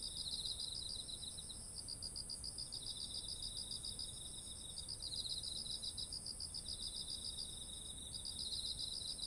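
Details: Crickets-like autumn insect calls by ripe rice fields, recorded on a ZOOM H1essential: fast repeated pulse trains from overlapping callers, stopping and restarting every few seconds, over a continuous high-pitched buzzing drone and faint low hiss.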